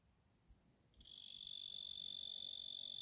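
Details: A male tree cricket of the genus Oecanthus starts singing after about a second of near silence, then holds an unbroken, high, clear trill with overtones at a steady level to the end.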